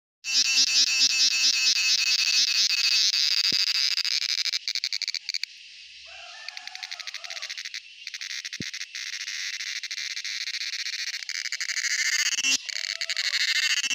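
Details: Male cicada sounding off with a dense, high, rasping buzz built from rapid pulses, loud at first, dipping quieter near the middle, then swelling back to a harsh steady drone.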